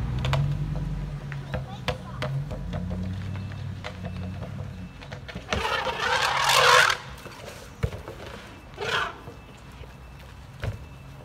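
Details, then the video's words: Baby elephants Zuli and Mkhaya, almost three years old, at San Diego Zoo Safari Park on 5 July 2021, trumpeting from excitement while playing in water; one harsh, roaring blast lasting about a second, a shorter burst later, over low rumbling and scattered knocks. "Baby Elephants Trumpeting!"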